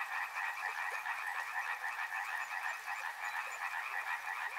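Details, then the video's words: Many frogs croaking together near a river, a steady buzzing chorus of fast repeated pulses with no pauses. "Frog Sounds | Soothing sounds of river and frogs"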